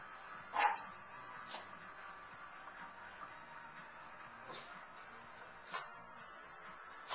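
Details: A Lhasa Apso gives a few short, sharp barks spaced a second or more apart while cheering at the 2011 Puppy Bowl on television, its sound in the background.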